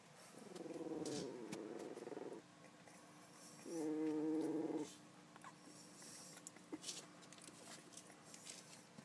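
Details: Three-week-old West Highland White Terrier puppy named Celine growling: two low, rough, rattling growls of about two seconds each with harmonic bands, separated by a pause, then a faint steady hum and small rustles.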